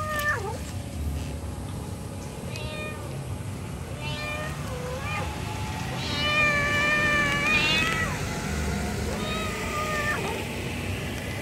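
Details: Mother domestic cat calling to her kittens with a series of stretched, wavering meows, some rising and falling sharply, others flat and sustained, spaced a second or two apart over steady background noise.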